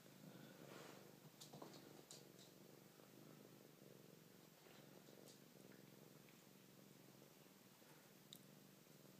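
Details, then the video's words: Siamese cat purring as others play nearby; continuous even purr with a low pulsing texture, faint scattered taps and rustles over a hissy background. "Siamese purrypants"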